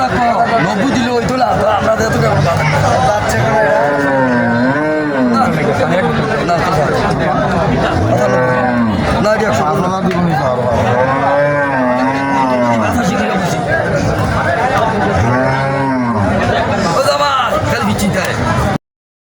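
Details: Sahiwal cattle at the Moynamoti cattle market in Comilla, Bangladesh, where over a hundred cattle are on sale. Several deep, drawn-out moos rise and fall in arching tones, repeated through the recording over steady crowd chatter and market noise.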